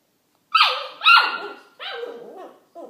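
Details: Corgi puppy making funny noises while playing with a Kong toy: four squeaky, whiny yelps with wavering, sliding pitch. The first two are loudest and highest, and the later ones are softer and warbling, in a small indoor room.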